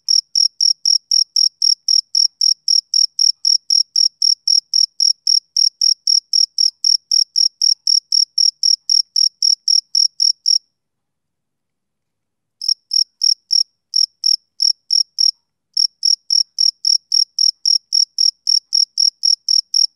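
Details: Summer-evening chirping of a male cricket: an even train of sharp, high pulses, about four per second, halts for roughly two seconds, then resumes, briefly uneven before settling back into rhythm.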